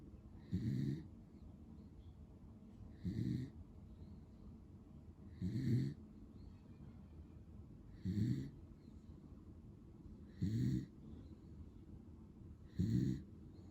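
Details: Snores from Pero, a lemon-white male Beagle born in 2015, asleep: six steady, low, raspy snorts, evenly repeated about every two and a half seconds, each with a breathy upper hiss, in a quiet room.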